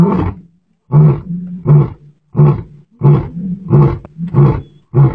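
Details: A lion in Aberdares National Park roars in a steady series of deep, booming, resonant grunts, each short heave following the last by well under a second, the grunting run of a lion's roar.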